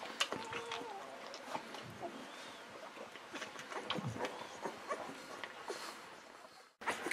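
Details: Golden Retriever babies, 11 to 13 days old: short, steady whining tones near the start, then scattered tiny squeaks among clicks and rustles, ending in a brief cut.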